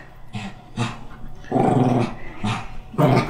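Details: Black Shih Tzu indoors in winter, refusing to wear clothes, giving low growls in short bursts, with one longer rumbling growl in the middle.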